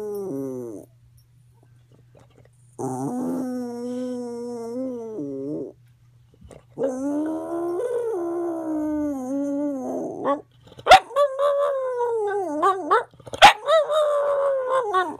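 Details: Roo, a female pet dog on an increased dose of medication, gives odd singing howls: long level wails with wavering pitch, then a run of shorter rising and falling yodels punctuated by sharp clicks; faint background hum.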